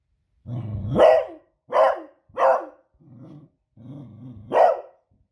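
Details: Beagle bitch alarmed by loud fireworks on a Friday evening: a low rumbling growl rises into a sharp bark, then two quick barks, a softer grumbling growl, and a final loud bark.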